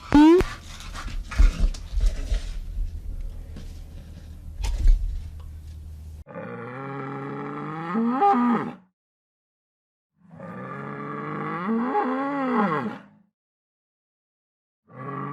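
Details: Bull lowing: after about six seconds of rustling and thumping noise come two long, deep harmonic moos, each roughly two to three seconds with a wavering, slightly rising-then-falling tone, separated by silence, with another moo starting at the end.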